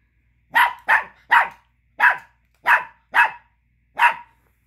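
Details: Male Chihuahua pup, angry that another dog has the small bone he wants back, gives seven crisp, high yaps spaced roughly half a second apart, nothing else audible.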